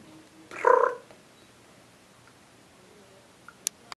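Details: Young male Domestic Shorthair cat named UPS, in a shelter awaiting adoption and perched up near the ceiling. He gives a single short meow about half a second long. Then it goes quiet apart from a few faint clicks.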